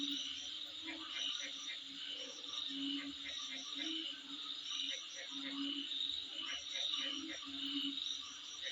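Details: Insects calling in front of a home: a steady, high-pitched shrill drone with rapid pulsed chirps layered on top, while lower throbbing bursts come and go every second or so.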